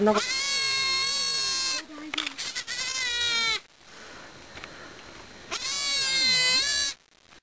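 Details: Baby goat, a newborn and the third kid, born in Japan's Fukushima no-go zone, crying in loud, long, trembling bleats, two extended calls of well over a second each, with soft talk in the background.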